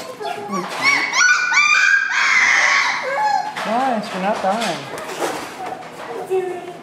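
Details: Kai Ken puppy from a fall 2011 litter gives a rapid series of short, high, arched whines and yelps, mixed with people talking loudly over it.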